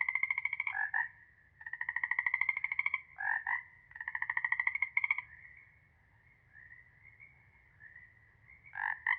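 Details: Frogs calling in a chorus: long rapid pulsed trills lasting over a second, interspersed with short croaks, then a quieter stretch of background frog murmur before croaking resumes.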